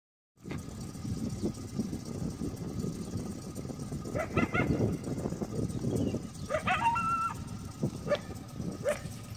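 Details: A coyote at Lake San Marcos, California, gives sharp, hoarse alert barks over a low rumble, heard from a boat around 5:30 pm, barking repeatedly for 15+ minutes after a large black cat was seen entering bushes.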